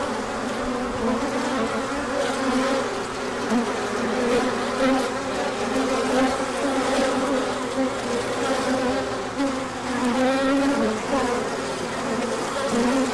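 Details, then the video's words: Large orientation flight of honeybees emerging in sunshine after a colder spell, with pollen coming in: continuous layered humming of a crowd of bees, individual buzzes sliding up and down over a steady drone. "Large Orientation Flight."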